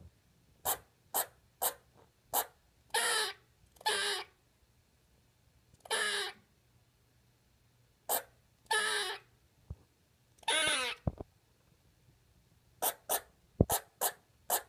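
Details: Lexi, a pet squirrel, finding her voice and talking for the first time: short broadband chattering bursts and clicks, some longer raspy noisy calls, irregularly spaced, with quiet indoor background hum.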